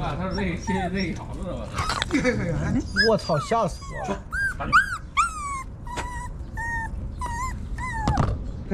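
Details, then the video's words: Frightened puppy crying and calling for its mother, who runs over to guard and then feed it; a run of high, whining cries that rise and fall, repeated roughly every second in the latter half, with human voices talking early on. "Puppy Crying?"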